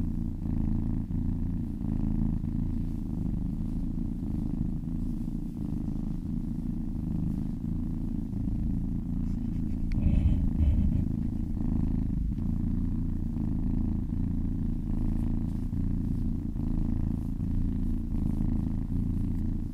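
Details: Steady deep purring of a kitten being massaged, loud and close, breath-paced pulses throughout, with a short soft click or rustle around the middle.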